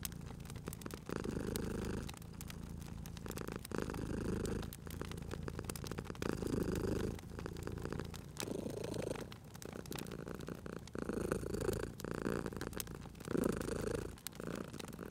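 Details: A sleeping domestic cat by a crackling fireplace in cozy spring ambience purrs steadily. Low rumbling swells rise and fall with each breath roughly every one and a half seconds, while sharp pops and snaps of burning wood crackle throughout.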